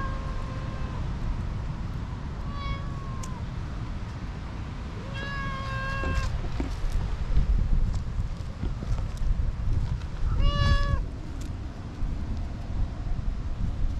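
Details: Tortoiseshell cat that had been napping in a tree, now rubbing hard against someone and seeking affection: four clear, rising-then-falling meows spaced a few seconds apart, the later ones louder, over a steady low outdoor rumble.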